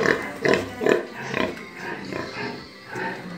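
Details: Pigs kept on a pig farm make repeated rough grunts, several close together at first and then fading to softer, scattered ones, with faint background music.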